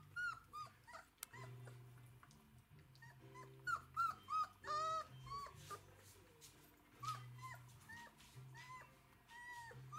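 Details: Day-22 Galgo Español litter at a kennel, September 2017: several pups give soft, short squeaks and brief whines, some in a quick run of four near the middle, over a constant low electrical hum.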